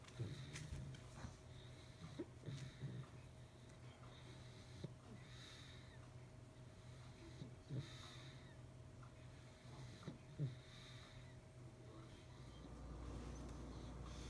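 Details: Sarah the pug asleep in Poppy's dog bed, snoring. Raspy, wheezy breaths repeat about every two to three seconds, each with a brief snort, against a quiet indoor background; a low rumble enters near the end.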